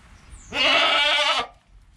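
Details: Newborn goat kid Joel, within an hour of his birth beside his calm mother Penny, filmed on a GoPro: one loud, steady bleat of almost a second, rich in harmonics, against a quiet background.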